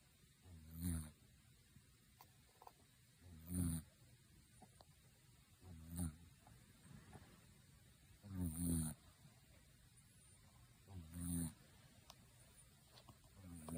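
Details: Sleeping kitten snoring loudly indoors, likened to an old man: low, rough snores repeated about every two and a half seconds, each a short swelling breath with quiet gaps between.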